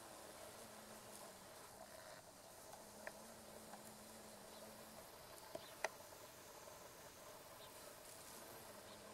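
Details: Female carpenter bees (Xylocopa appendiculata circumvolans) sonicating meadow-rue blossoms by a railway near rice fields, Japan, mid-August 2013; low droning buzzes come in bursts of one to two seconds, broken by short gaps, over a faint outdoor hiss with occasional clicks.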